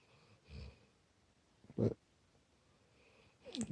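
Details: Sleeping Lab puppy indoors, resting near a person with a headache: two short, low, breathy snorts a little over a second apart, then a rustling shuffle, in a quiet room.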